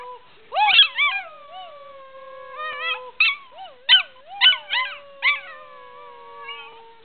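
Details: Australian Shepherd puppy, six months old and medium-sized, practising its howl: drawn-out wavering howls that rise and dip, punctuated by sharp yelping bursts repeated roughly every half second to a second.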